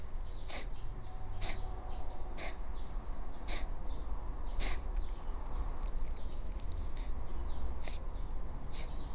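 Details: Sneezing fit from a stray calico cat just woken from a nap on a futon, unable to stop: crisp, explosive bursts repeating roughly once a second, about nine in all, over a low room hum.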